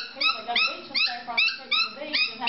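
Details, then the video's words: Dog giving rapid high-pitched yips, about two or three per second, each a short upward-sliding bright note, fairly steady in rhythm throughout. "Fuuny and cute dog barking"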